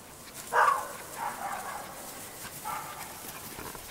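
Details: Cairn Terrier puppies at a breeding kennel in Escaudes: a short, sharp, squeaky yelp followed by softer, thin whining whimpers rising and falling over a few seconds against a quiet room background.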